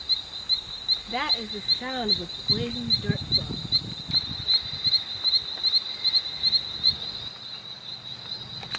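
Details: In the Amazon jungle, a poison dart frog gives a high, steady series of rapid chirping pulses, with a man speaking briefly.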